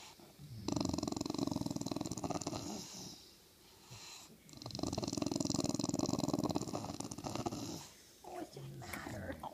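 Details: A female English bulldog, ten months old, vocalises to tell her humans she wants on the couch with them: two long, rattling, purr-like grumbles of about two to three seconds each, low and rapidly pulsed, with a short pause between.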